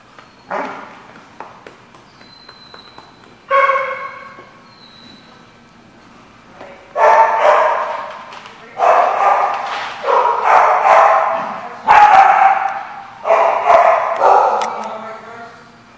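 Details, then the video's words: Dogs recorded on 21 July 2014 give a few scattered sounds at first, then loud, harsh, rough barks in quick bursts, several per second, with short gaps between volleys. "The Barking Lot"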